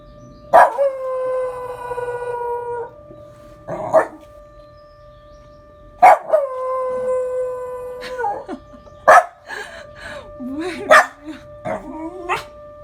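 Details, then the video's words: Male Welsh Corgi named Rungji howling at the Memorial Day siren, giving repeated drawn-out harmonic howls of about two seconds each, some breaking into wavering, yodel-like yips, over the siren's constant steady tone. "현충일 사이렌 소리에 하울링하는 강아지, 늑대의 피가 흐르는 웰시코기 룽지"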